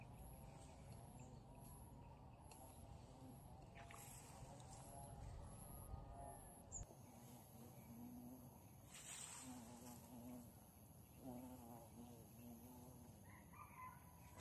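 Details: Bees in the bush, watched and caught by hand, two types present: a low droning wing hum comes and goes in short bursts, passing over a steady background of other insects and distant traffic.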